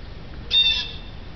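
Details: Female domestic cat eyeing birds outside the window gives a single drawn-out chirping note, bright and steady, lasting about half a second over quiet background hum.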